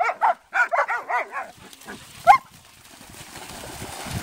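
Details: German Shepherds at play in the sea give a quick string of five or six barks, then a single late yelp, fading into steady noise like water and waves.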